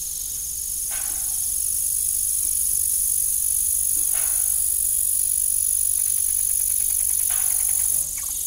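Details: Evening crickets around an old farm windmill keep up a steady, shrill, unbroken trill, while short mid-pitched creaks and rattles break in roughly every three seconds.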